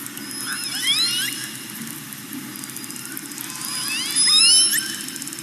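Orcas trade high, sweeping squeals, with bursts of rising whistles and faint clicking above them.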